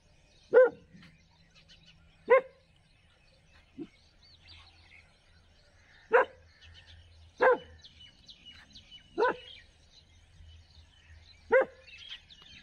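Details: Street dog barking in a village, sharp single barks spaced one to two seconds apart, seven in all, with faint bird chirps behind.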